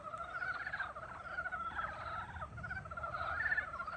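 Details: Spring chorus of frogs: continuous rattling pulsed trills from several animals, overlapping phrases a second or two long that swell and fade.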